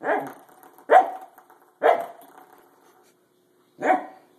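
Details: Pembroke Welsh Corgi playing with a door stop: four sharp, mid-pitched barks, each followed by the springy twanging ring of the door stop.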